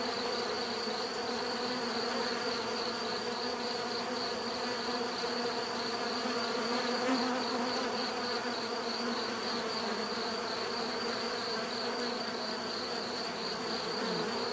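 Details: Many bees humming together, a continuous even buzz with stacked low tones and a shimmering high band that pulses faintly, nothing else audible over the drone.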